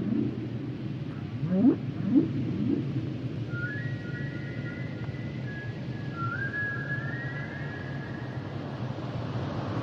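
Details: Humpback whales singing, a few quick rising low upsweeps early, then long drawn-out whistled tones that hold steady and step upward, set against constant deep ocean rumble.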